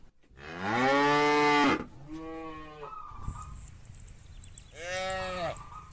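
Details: ['Loud, long lowing from a cow in a herd of hundreds driven by shepherds toward green grazing fields, followed by two shorter, softer moos and a brief high thin whine in between.']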